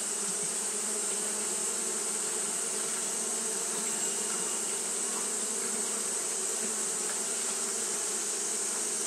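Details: Fanning Japanese honey bees on a hot day produce a level, continuous drone, low and buzzy with harmonic layers, beneath a constant high sizzling hiss.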